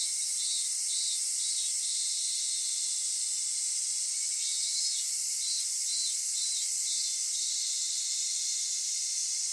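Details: Cicadas singing on a summer day in Kitakami, Japan, at the folk village and Tenshochi park: a constant high-pitched buzz overlaid with pulsating throbs in two separate runs.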